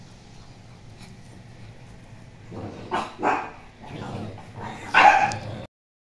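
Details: Poodle letting out a few short, sharp yips and barks that grow louder, peaking in a higher, stronger bark near the end before the sound stops abruptly.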